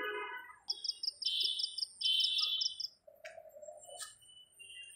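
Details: Crickets calling at night in a home garden on a breezy evening. Rapid, high, evenly pulsed chirps in bursts, with a woman speaking before and after.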